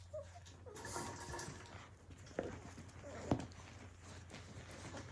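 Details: Australian Cattle Dog (Blue Heeler) puppies from the 2020 litter of Willow and Tory, playing indoors: a short high whine, then a burst of rough yipping, with scuffling and knocks, and a person asking a question just after.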